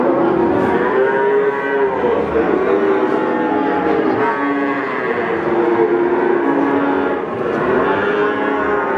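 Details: Peranakan Ongole bulls for sale at Pasar Pon, Ambarawa, Central Java, calling in a series of long wavering moos, several cattle answering each other amid loud market bustle.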